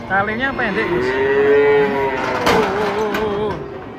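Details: A giant cow coming down off a truck gives a loud, long moo that swells, holds steady and wavers downward near the end, with a sharp knock partway through and faint background bustle.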